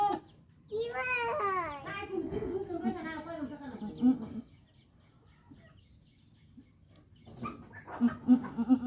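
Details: Goat named Kalli Rani, on a goat farm during her delivery, giving a long wavering, quavering bleat near the start. Voices follow, then a run of short, rhythmic clucking pulses toward the end.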